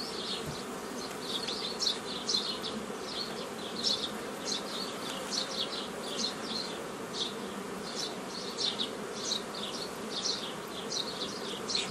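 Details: Honey bee colony buzzing as a beekeeper splits a foraging swarm into nucleus colonies, May 15, 2018; an even, low, dense hum runs throughout beneath rapid, repeated high chirping flickers.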